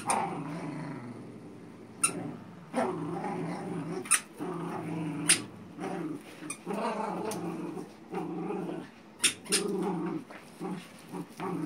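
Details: A Xolo pup and a Manchester Terrier playing tug indoors: low rumbling growls in bursts of one to two seconds, broken by sharp clicks and knocks from the toy and paws.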